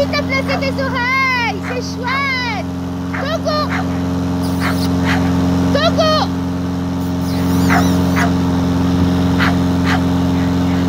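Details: Seven-week-old Staffordshire Bull Terrier puppies from a kennel litter, 1 June 2022, during lawn mowing: high arched whining yelps, several in quick succession over the first seven seconds, over a steady mower drone and a person talking.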